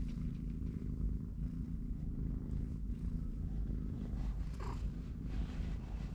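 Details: Cat purring as a dense low throb, recorded with three-week-old kittens and their watchful mother in a cardboard box. A brief soft higher sound rises near the end over the steady vibration.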